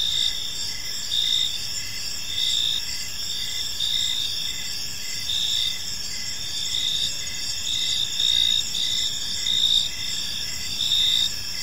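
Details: Crickets chirping in a peaceful park as evening falls, a steady high-pitched chorus of overlapping trills with pulses swelling roughly once a second, over a soft low background hum.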